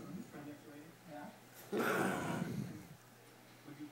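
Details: A 16-month-old female Basenji challenges a 12-year-old male Basenji for a spot on the couch, growling low and rumbling, then breaking into a brief harsh snarl; she wins the spot.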